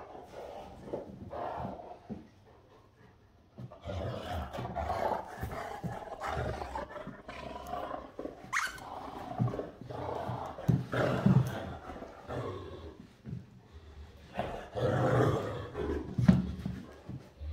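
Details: Great Danes Rhapsody and Wächter at morning play: a long stretch of deep, throaty growling and rough roaring grumbles, uneven and rapid, with thumps and scuffles of bodies mixed in.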